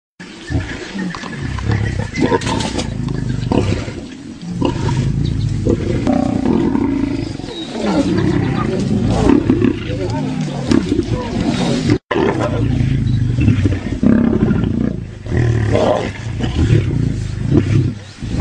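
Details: Fighting lions roar and snarl in a dense, rough, low-pitched mass of sound that runs almost without pause, with one brief break partway through.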